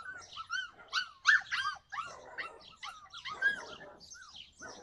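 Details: Yakutian Laika in July 2020 voicing rapid clusters of shrill, up-and-down yips and whining barks, the loudest bunched near the start, then a looser run of overlapping arched calls.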